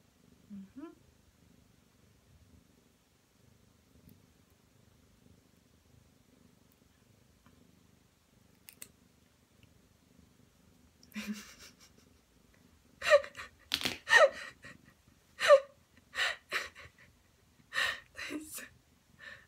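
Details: A one-year-old Ragdoll cat named Ao sulks indoors while having its claws clipped. A mostly quiet start gives way to a run of short, harmonic meows from about thirteen seconds, roughly one per second, with some human speech.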